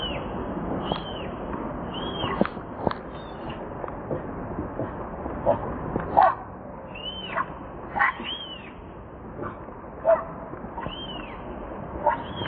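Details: Newborn baby monkey named Leo cries to its mother, begging for milk. Thin, high arched squeals rise and fall in repeated bursts about every second or two, over scattered clicks and rustling nearby.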